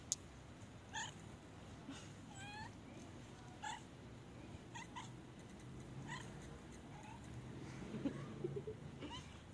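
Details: Pet cat, fed chicken indoors, makes funny noises while begging for more: a string of short, soft, chirping meows that come every second or so over a low room hum, ending in a quieter murmur.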